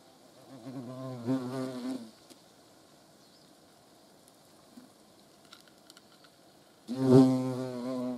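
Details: Hornet. A hornet's deep, rich wingbeat hum swells in as it flies near, fades out, and returns loudly a few seconds later. The buzz is low and steady, with quiet background between the passes.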